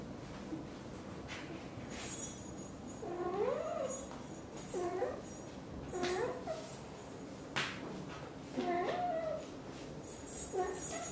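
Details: Blue golden British Shorthair mother cat Xaxa talks nonstop while grooming her tiny kitten Piano; a string of short, rising-and-falling chirpy meows, about five across the stretch, with soft rustling between them.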